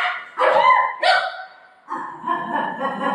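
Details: Golden Retriever Buzo playing with his mom, giving two short, bright yelping barks close together, then after a quiet gap a longer, lower run of harmonic whining vocal sounds.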